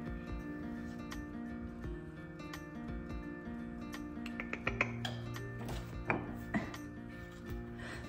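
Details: Steady background music with occasional clattering and knocking, and no animal voice. A few sharp clicks and rubbing noises come through near the middle.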